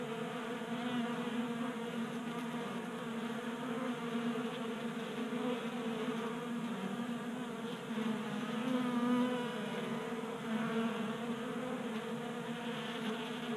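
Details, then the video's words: A group of honey bees feeding from a 3D-printed tray feeder on a garage workbench in Colorado in January; steady droning buzz of many wingbeats, with individual bees passing close and louder around the middle. "45 Minutes of Honey Bees Feasting from 3D Printed Bee Feeder ASMR"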